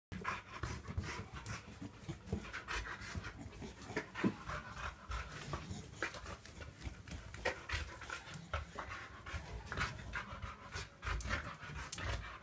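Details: Remo, a pet Boxer dog playing with balloons, pants steadily in quick, breathy bursts repeated several times per second, with scattered soft thuds and rustles throughout.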